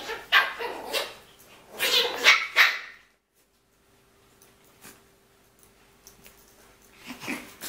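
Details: Shih Poo, a shih tzu and mini poodle cross, gives a quick run of sharp, high, yappy barks and growly bursts over about three seconds, then near silence with faint rustling, ending with a short softer yap.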